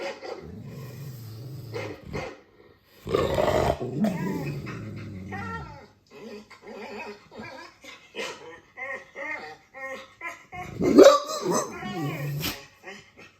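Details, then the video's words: Dogue de Bordeaux guard dog in a dark room, reacting to strange sounds: deep, drawn-out rumbling growls lasting a couple of seconds each, then shorter voiced barks and whimpers, with a person talking throughout. "Dogue de Bordeaux - How is my guard dog reacting to strange sounds?"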